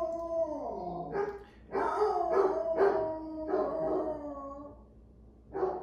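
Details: Two rowdy basset hounds, Cashew and Hemi, howl and bay indoors: drawn-out, sliding howls break into a run of loud, broken bays, pause, then start again.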